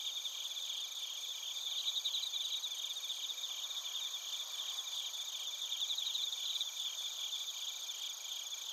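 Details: Chorus of bell crickets and crickets recorded in Narita, Chiba, Japan with a TASCAM Portacapture X8: shimmering high trills and steady ringing tones layered together, rapid pulses rising in brief louder bouts, quiet background.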